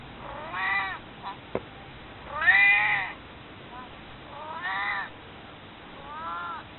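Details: Pet cat Maru, nearly 22 years old and since passed away, meowing to be picked up and held: four drawn-out, arching meows with rich harmonics, the longest near the middle, plus one sharp click.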